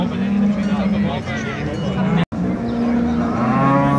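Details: Brown Swiss cows at the Appenzell cattle show, Switzerland, 2022, holding low, level moos beneath a loud murmur of people and hall noise.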